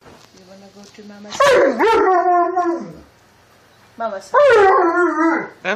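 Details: Alaskan Malamute dog 'talking' indoors: two drawn-out, wavering, harmonic woo-woo vocalisations, each rising then sliding and holding before fading, with a woman's affectionate speech between them.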